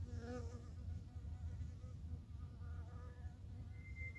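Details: Japanese honey bees in the early morning on 12 April 2021, while plum blossoms are at their best: a steady, low, droning hum with layered harmonics, swelling and fading, and a thin bird whistle near the end.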